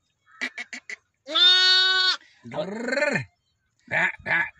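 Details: Newborn lambs, one day old, in a village: quick clicking taps, then a loud, steady, nasal bleat of about a second, followed by a wavering falling cry and short bleating bursts.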